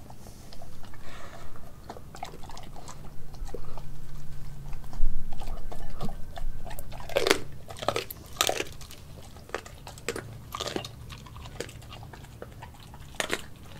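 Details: Nala, a Kelpie and German Shepherd cross, crunching raw chicken feet, chicken thigh and beef organs; quiet chewing at first, then a run of sharp, loud crunching bites near the middle, about four per second at times.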